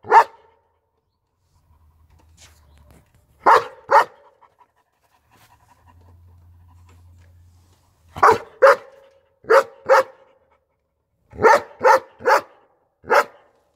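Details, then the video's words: German Shepherd barking: sharp loud single barks, some in quick pairs or runs of three, separated by pauses, with a faint low hum between bursts. "German Shepherd's barking/Szczekanie Owczarka Niemieckiego"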